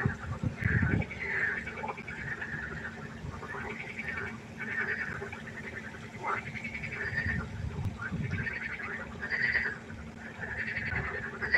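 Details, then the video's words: Frogs chorusing at night by a pond, a steady layer of rattling croaks overlapping throughout, with occasional low thumps beneath. "1 Stunde Froschkonzert. Frosch Geräusche quaken"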